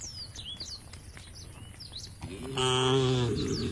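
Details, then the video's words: Cows of a tame herd on their way to a field at the forest's edge; birds twitter at first, then a deep, harmonic moo starts and stays loud and steady to the end. "the sound of the cows"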